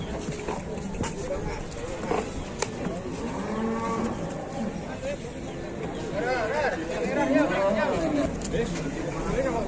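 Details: Cattle arriving by truck; several drawn-out lowing moos with wavering harmonics, the loudest from the sixth second on, mixed with men talking and crowd noise.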